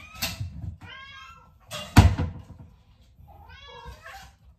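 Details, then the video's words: Hungry house cats waiting for their next meal give two drawn-out, harmonic meows separated by loud thumps and knocks, with a low hum underneath. "When the cat choir sang their mealtime praise"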